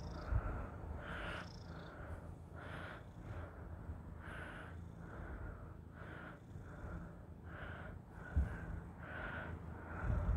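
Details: A Russian Blue cat kneading its owner purrs steadily, a deep, continuous rumble pulsing with each breath.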